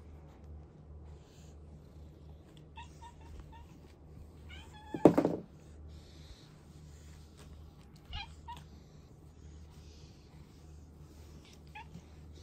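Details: Chloe (Kuroe), a female cat in Japan taken in as a trapped kitten, fearful of people and diagnosed with a congenital heart condition, living as a house feral for six years; one short, loud meow midway through, otherwise a quiet room with faint ticks.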